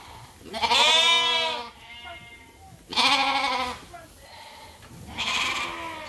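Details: Sheep on Ewetopia Farms awaiting their feed during daily chores, giving three loud, wavering harmonic bleats about two seconds apart, each roughly a second long, with quiet farmyard background between calls.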